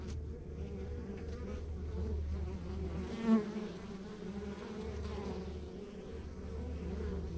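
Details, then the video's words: Honey bees humming at a rural backyard beehive: a dense, steady drone with layered bands of buzz, a low rumble underneath, and one brief louder swell around the middle. "Relax to the Sounds of Our Backyard Buzzing Beehive"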